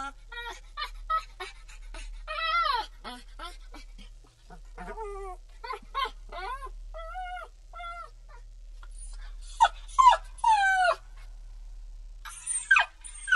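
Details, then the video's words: American Pit Bull Terrier puppy crying in a run of short whimpers and squeaky yips, then louder drawn-out whines that sweep downward, roughly two calls a second at an uneven pace. "Pitbull Puppy Crying"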